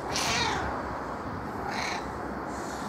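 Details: A pet female cat turns unusually affectionate and gives a lowered, sing-song meowing. Brief breathy, hissing bursts are heard at the start and near the end, with a faint tonal note between them over steady background noise.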